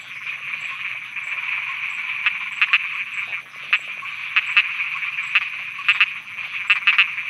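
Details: Continuous, loud trilling chorus of frogs at night in Thailand, punctuated by frequent abrupt clicking notes scattered irregularly throughout.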